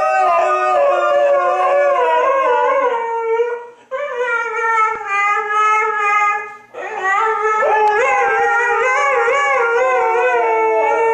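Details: Chorus of two Siberian huskies named Toga and Major, dogs that rarely bark; sustained, quavering howls in layered voices, dipping and pausing twice before resuming louder.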